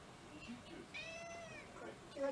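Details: One pet cat among six mixed-breed housemates, awaiting a special Cat Day dinner in February 2023, makes a single clear, drawn-out meow that rises and then slowly falls, in a quiet indoor room.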